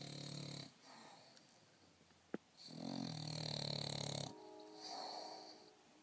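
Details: An English Bulldog snores while napping, in long, rough, rattling breaths with a low rumbling base.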